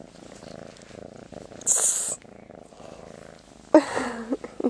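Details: Master Shifu, a sleepy cat wanting morning attention and tummy rubs, keeps up a soft rapid purr, interrupted by a sharp hissy rustle and then a woman's speaking voice near the end.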